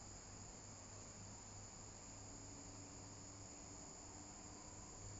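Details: Viadana katydid at San Juan, Santa Cruz, Bolivia, 10 February 2022, giving a continuous piercing high whine without pauses, set against faint low-frequency rumble and hiss.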